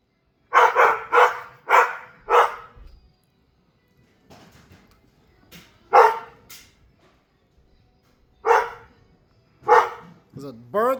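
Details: Dog named Mishka barking outside at a bird or squirrel, a run of four rapid barks followed by spaced single barks, faint rustling in the pauses and a brief voice at the end.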